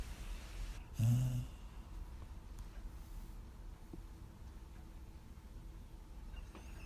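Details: Sleeping dog recorded in 2016, giving one short, heavy snorting exhale near the start, then soft, low, barely audible breathing in a quiet room.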